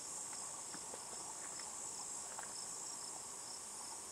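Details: Buzzing cicada, possibly Tibicen inauditus, perched on a juniper tree in Picket Wire Canyon, SE Colorado, elevation 4622 ft, near 8 PM. An even, high hissing buzz continues throughout, with faint scattered lower ticks and patters beneath it.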